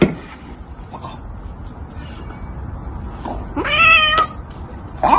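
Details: Domestic cat from a cat compilation giving a drawn-out, harmonic meow lasting about half a second with a slight rise then level pitch, preceded by softer brief vocal sounds, over a steady low background hum.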